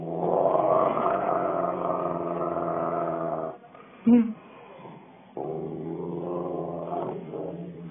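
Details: Rottweiler with attitude, producing a long, deep, moaning growl, a short break with a sharp sound, then a second drawn-out, grumbling growl.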